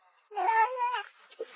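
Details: A talkative pet cat gives a short, bright meow of under a second. It rises and then dips, with a soft second syllable at the end, indoors with little background noise.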